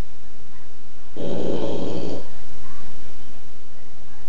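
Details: A sleeping Boston Terrier (Canis familiaris) gives a single rough, rattling snore lasting about a second, while another dog sleeps behind him.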